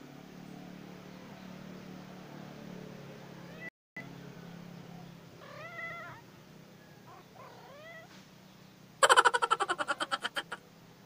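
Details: Cats outdoors, Lily with two kittens and Putik enjoying fun outside: several short, falling-then-rising meows of modest loudness over low background hum, followed near the end by a loud, rapid series of rattling clicks.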